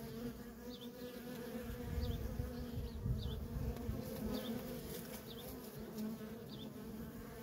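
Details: Busy worker honey bees at a feral colony produce a continuous low drone, swelling slightly at times, while thin high chirps repeat about every second in the background.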